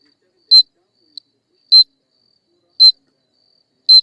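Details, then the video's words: Shrill, clipped insect chirps, four main bursts about a second apart with one faint tick between the first two, piercingly high and dry against complete silence. "حشرة لا تعرف سيوى صوتها"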